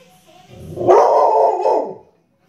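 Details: Dog giving one drawn-out, harsh, mid-pitched bark of about a second that trails off at the end, heard amid a bout of barking and growling.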